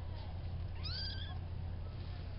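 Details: Female farm kitten, a few weeks old and about the third largest of a litter of four, utters one short high meow that rises then falls, against a low background hum.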